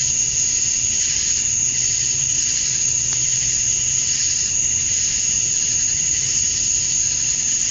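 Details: Male cicadas chirping to attract mates on a Georgia, USA summer evening at dusk: an unbroken high buzzing chorus with gently throbbing layers, over a faint low steady hum; a brief click near the middle.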